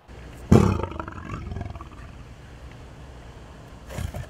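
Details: A 19-year-old male lion in a big cat sanctuary in Tampa, Florida, USA, given vanilla ice cream as a rare birthday treat. One loud, deep, rough roaring grunt comes early, then a low rumble, then a fainter second burst near the end.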